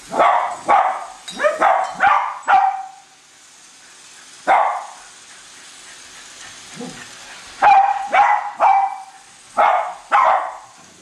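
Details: Two pet Cavalier King Charles Spaniels, Colby and Shelby, chase a new toy train around a Christmas tree indoors, giving sharp bright barks in quick bursts, a lull near the middle, then another run of barks, with faint hiss between.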